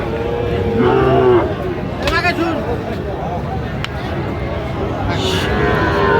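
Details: At a crowded cattle market selling Sahiwal bull calves, 8 November 2025, one brief curved, wavering moo sounds early, followed by loud men talking and bargaining with scattered market clatter.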